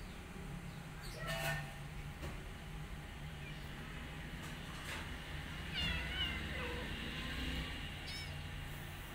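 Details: Rescued mother cat tending her kittens and a specially cared-for adopted kitten; brief high meows come in scattered bursts, the clearest two about four seconds apart, over a constant low background hum with faint clicks.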